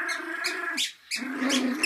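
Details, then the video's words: A small pet dog growling while playing: a sustained, tonal, rumbling growl with a fairly steady pitch, briefly breaking off near the middle and then resuming, with some higher breathy noise over it. "Small dog, Big growl"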